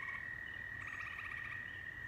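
Frogs call in a continuous high, ringing trill, a rapid string of pulses holding one even pitch. A soft rumble of background noise sits beneath the calling.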